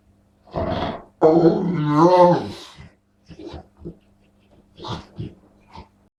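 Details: Dog making unusual funny sounds indoors: one short grunt, then a warbling, undulating groan of about one and a half seconds, followed by soft scattered huffs and snorts.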